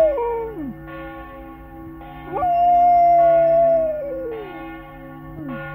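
A Flat-Coated Retriever howls with long, wavering notes over the steady ringing of church bells.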